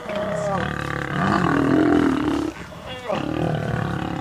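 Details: Lionesses of the Nkuhuma pride protect their cubs against three visiting Birmingham males at sunrise, August 11; rasping snarls and moaning roars pulse with a brief pause midway, as a guide describes the scene.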